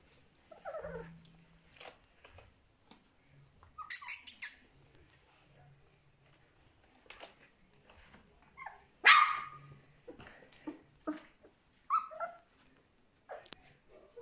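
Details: Puppies aged three weeks, offspring of Charlotte and Magic, making scattered soft whines and squeaks, then one loud sharp yelp midway, with rustling, knocks and quiet low hum between calls in a small indoor space.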